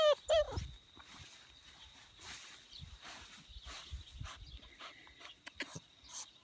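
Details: Koda, a Bernese Mountain Dog, outdoors: two short, high, tonal whines with a slight downward bend open the recording, followed by quiet rustling, soft thumps and a faint steady high tone.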